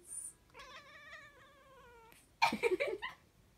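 A Siamese cat gives a long, wavering, drawn-out meow followed by a burst of louder, rougher yowls.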